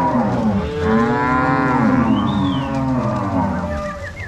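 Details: Crossbred Angus-Nelore cows driven by three cowboys and six dogs to pasture at Fazenda São Matheus, Ortigueira, Paraná, 16 March 2022: a long steady moo with rich harmonics, others overlapping, and short high whistles near the end.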